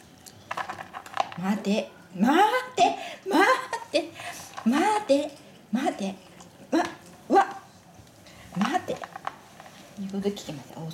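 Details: Siberian husky indoors asking for treats, from a home with Rai, a chocolate-and-white male, and Nagi, a red-and-white female. A run of rising-then-falling yodelling whines and woo-woo sounds, about one per second, with human voices and room noise.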